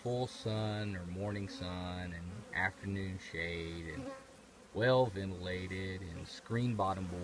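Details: Buzzing honey bees around their colony in an old trash can: a low humming drone in repeated passes of one to two seconds, with rising and falling swoops as bees zip by, separated by brief quiet gaps.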